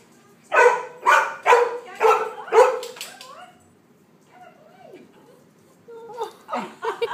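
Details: Rhodesian Ridgeback pup named Sadie, indoors visiting a showroom in the morning, with a Maltese cross nearby: five sharp, fairly high barks in quick succession about every half second, a brief whine, then a few fainter barks after a pause.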